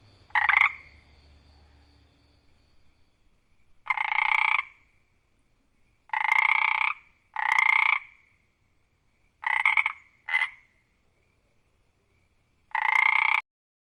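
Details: A single frog croaks loudly at night, giving nasal croaks in short bursts spaced unevenly a few seconds apart.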